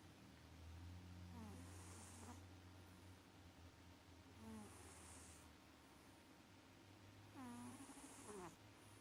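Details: Maxi, a pet cat, snores in sweet-dream sleep: wheezy, airy breaths with a faint hiss, rising and falling in three slow cycles roughly every three seconds, a low hum underneath.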